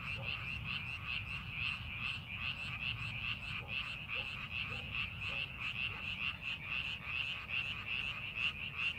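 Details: Frogs in rice paddies as farming preparation begins, a thick chorus of rhythmic rattling croaks repeating steadily throughout, with a faint low drone in the background.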